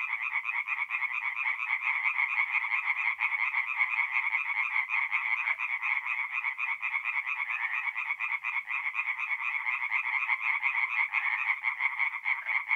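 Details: Chorus of tree frogs singing at night by a forest pond in north-east Italy in mid April; dense overlapping rapid pulsed croaks form a continuous buzzing wall of sound with no break.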